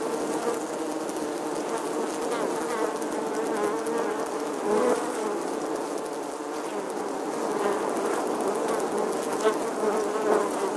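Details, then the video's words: Nesting bees in an old English church wall, August 2020, recorded with a Canon P900 camera; unbroken hum of a busy colony, wingbeat tones wavering as bees come and go. "Bee Hive, Bees Captivating Footage from an Old English Church Wall. Bee Sounds"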